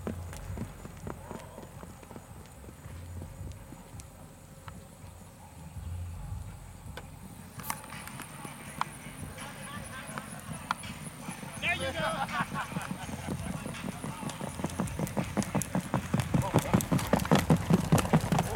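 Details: Standardbred race horses racing at The Orchard race track in East Texas: rapid, rhythmic hoofbeats build steadily louder and closer through the second half, under ongoing human speech and crowd noise.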